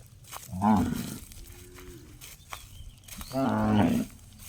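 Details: Cow giving an unusual gong-like call: two short, harmonic-rich bellows about three seconds apart, the second longer and steadier, with a faint low tone between them over rumbling background noise.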